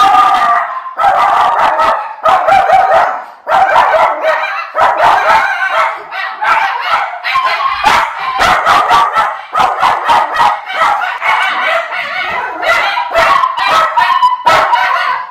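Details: Two Miniature Schnauzer brothers in Aroostook County, Maine, barking wildly as a different driver delivers a package, August 2021; dense, overlapping rough barks pour out almost without a break, at times rising into howl-like cries.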